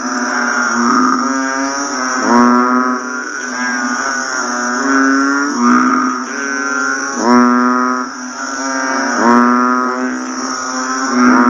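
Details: After rain, many banded bullfrogs give low, buzzy, cow-like calls that overlap and pulse roughly every two seconds, forming a steady droning chorus over a continuous high-pitched whine.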